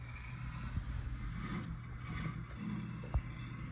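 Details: Steady low engine-like rumble with hiss and a single soft thump near the end, no animal sounds heard.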